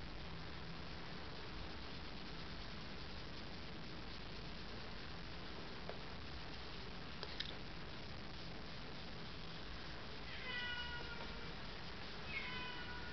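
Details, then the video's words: Pet domestic cat meowing indoors during an evening makeup session: two short harmonic meows near the end, the first falling in pitch, the second briefer, over a steady room hiss with faint taps and brush sounds. "слышите моя кошка"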